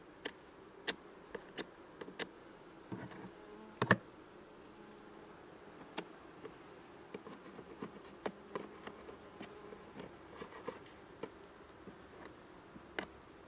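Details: Honey bees hum in an open hive during an inspection and a second 15% lactic acid spray, July 2019. The buzz is soft and continuous, broken by many sharp clicks and knocks of frames and tools.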